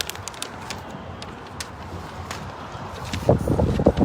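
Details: Outdoor traffic rumble and crackling handling noise, with a burst of louder voices or movement near the end. No animal calls stand out.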